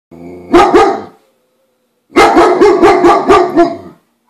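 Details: A roughly one-year-old male German Shepherd, filmed on a Samsung Galaxy S3 phone on June 28, barks at a girl delivering the newspaper, defending his turf: one double bark, a short silence, then a rapid run of about seven harsh barks.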